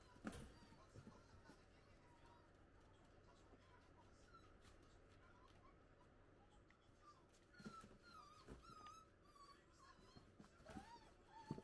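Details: Italian Greyhound puppies, six weeks old, at play time outside the cage; quiet, thin whining squeaks come and go, clustering in the second half, with thumps and scrabbling of paws.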